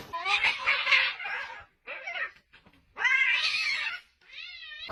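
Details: Domestic cats fighting, giving loud harsh yowls and caterwauls in long wavering bursts, a brief pause, then another drawn-out screech and a rising-falling wail to finish.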